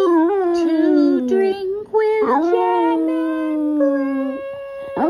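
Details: A Boston Terrier "sings" along to "Do-Re-Mi" from The Sound of Music, howling in long, wavering tones that slide up and down in pitch over the music.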